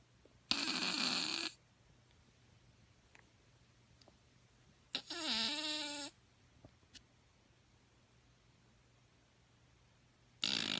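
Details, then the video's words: Shih Tzu puppy snoring while asleep: breathy, whistling snores with a faint squeaky tone, each lasting about a second and coming roughly every five seconds, with quiet pauses between them. "Shihtzu puppy snoring while asleep"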